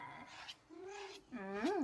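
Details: Domestic cat whose meow is likened to saying "no" (안해): drawn-out tonal mews, a low level one, then a louder meow at the end that rises and falls sharply, indoors in a small room.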